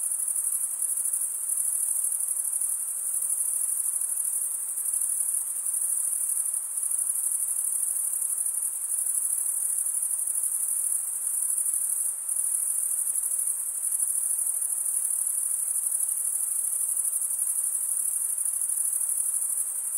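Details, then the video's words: Chirping of crickets, made by males rubbing a wing over the comb-like teeth on the other wing, heard as a dense, continuous, shrill ringing that never pauses, level and unchanging, over a quiet, faint hiss. "Most relaxing cricket sound for 8 hours"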